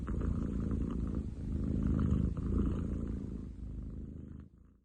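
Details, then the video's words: Powerful low purr from Ten chan, a male long-legged munchkin cat, 30 July 2023; a dense rumbling drone that fades out and stops near the end. "工事現場並みに喉を鳴らす猫。Cat purr like construction site!?"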